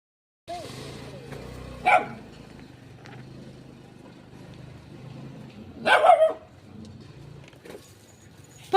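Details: Little dog barking near a shy cat: two sharp, harsh barks roughly four seconds apart, heard over a steady low mechanical hum with faint background noise.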